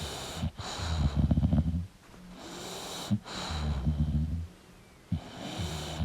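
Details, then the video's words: Sleeping English bulldog with rough, rattling snores about every two seconds. Sharp snorts break in between the deeper drawn-out breaths. "English Bulldog Sleeping & Snoring Sound"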